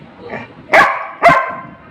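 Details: Rimi, a pet Labrador Retriever, hungry and demanding food while it cools, gives two short loud barks half a second apart over faint background chatter in Bengali.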